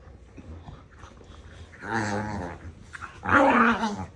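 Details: Two pet dogs, a pair kept together like a married couple, yapping and arguing nose-to-nose with playful love bites indoors; two short harmonic, whiny-growly outbursts rise after a quiet start, the second louder and brighter.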